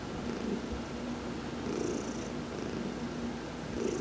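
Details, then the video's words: Domestic cat named Heidi purring while being massaged during a sun bath, November 19, 2020; steady low rumbling purr with soft swells in loudness, faint high hiss bursts at intervals. "Heidi — Massage, November 19, 2020"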